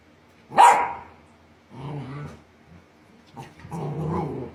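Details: Australian Shepherd (Canis lupus familiaris), bark.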